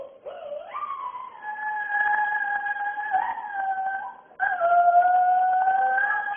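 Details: A small female husky, usually very quiet, howls in long, sustained tones that rise, hold steady, then break and resume.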